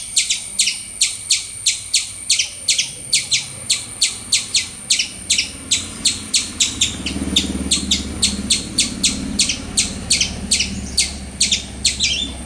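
A squirrel gives sharp, high chips repeated steadily, about three each second.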